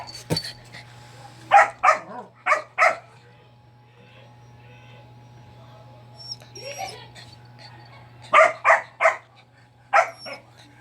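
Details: A crying dog gives short sharp barks in two clusters of four or five, with a quiet gap between them and faint whimpering in the middle; a steady low hum runs underneath.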